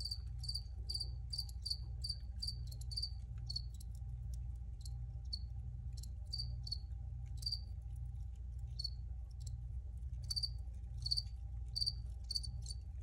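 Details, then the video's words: Crickets give fast bright chirps in a quick series at first, then sparser single chirps, before picking up again; low steady hum in the background. "Free Cricket Sounds for Re-Use or Relaxation"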